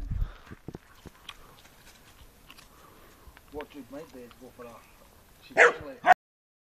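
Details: A Doberman playing with a white Staffordshire Bull Terrier; quiet talk at first, then a run of short rough growling yaps midway, ending with two loud sharp barks.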